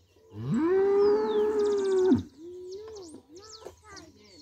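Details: Cow where milk is fetched for breakfast, giving a strong moo that swells up and holds a level tone for nearly two seconds, followed by softer, wavering lower calls and faint high chirps.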